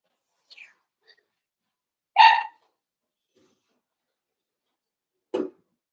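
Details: Four-week-old Cavalier King Charles Spaniel puppies from Daisy's litter in an indoor puppy pen; one short, strong harmonic yelp stands out, followed seconds later by a brief sharper squeak, with quiet faint whines before and silence between.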